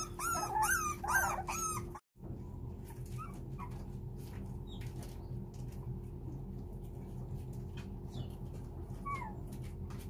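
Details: Four-week-old puppies whining to beg their mother, who has turned cold to push them toward independence, to come in: a burst of loud, high, harmonic-rich whines in the first two seconds, then only faint scattered squeaks over a steady low hum.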